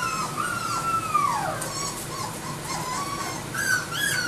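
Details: AKC-registered Labrador Retriever puppies whimpering: a long high whine that slides downward, followed by shorter wavering whines and a rising yelp near the end, with faint background hiss.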